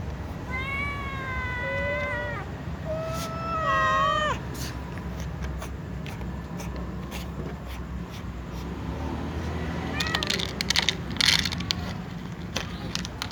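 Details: Domestic cats meowing before eating: two clear harmonic meows early, one ending in a wavering bend, then quieter background with faint cries and clattering near the end.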